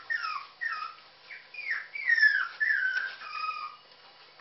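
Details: Puppies calling for their mother, giving a run of high, falling whines and yelps, each about half a second long, repeated steadily and rising into a louder, wavering cry midway.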